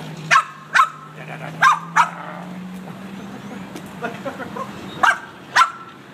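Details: A Boston Terrier in a car gives sharp, high barks in quick pairs over a steady engine hum, going crazy as the windshield cleaner is used.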